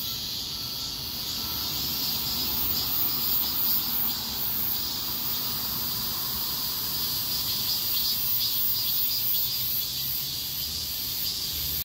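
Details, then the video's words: Many cicadas singing together along a street in the heat of a heatwave, a steady high hissing drone that swells and eases in rapid waves, layered and unbroken throughout. "폭염속 매미들의 거리합창"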